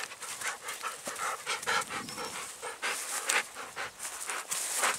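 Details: Golden Retriever panting on an evening walk through spring countryside by rice paddies full of white flowers. Quick, breathy, rhythmic puffs, about three per second, with a faint thin whistle-like tone partway through.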